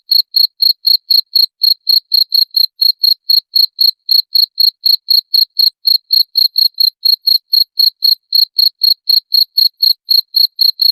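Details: {'text': 'Steady cricket chirps, meant to scare off rats, repeat without a break for about eleven seconds: shrill, clean pulses near four per second in a quiet background.'}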